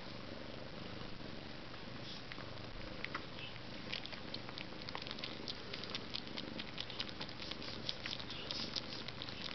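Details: Maine Coon cat (Felis catus) purrs in a steady, low rumble, with soft clicks and taps close by.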